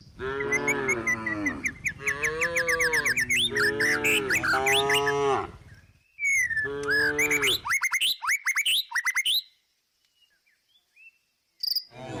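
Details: A tame cow resting and eating grass in the countryside gives a long, drawn-out moo, then a second shorter one, with small birds chirping nearby.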